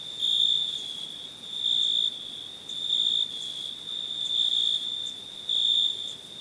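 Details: Crickets at night: a steady high trill with louder pulsing bursts roughly every second, each swelling for about half a second over a continuous background chorus.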